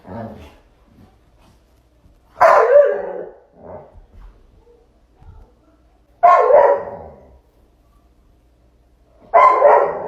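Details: Bullmastiff barking in a high-quality recording: three heavy, rough barks spaced a few seconds apart, with softer grunting sounds and small noises in the gaps.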